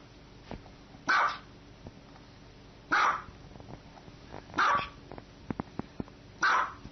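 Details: Barking dog from a funny-noises compilation: four strong, abrupt barks at roughly two-second intervals, with light clicking sounds and a quiet background hum.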